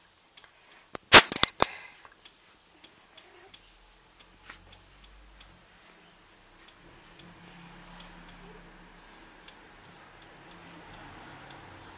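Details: A sharp cluster of clicks and knocks just after one second, then quiet indoor room noise with scattered faint ticks and no audible animal voice.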